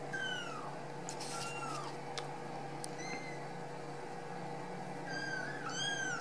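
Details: Ragdoll kittens just out of the nest, raised in a home cattery in central Kansas, repeat thin, high, descending meows at the start, middle and end, over a constant low household hum.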